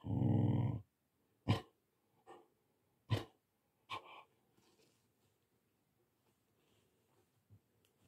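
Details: Siberian Husky puppy named Goraidh meeting the tortoise Olaf for the first time during socialisation. The tortoise woke early from hibernation because of warm temperatures. A low, rough growl lasts under a second, followed by scattered sharp clicks and knocks.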